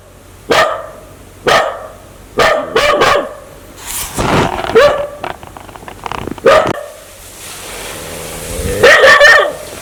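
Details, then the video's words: Aggressive dog that wants to bite people barks sharply: single barks at first, then a rapid cluster of harsh barks, a pause, and a longer, drawn-out bark at the end. "Sound Dog want to Bit"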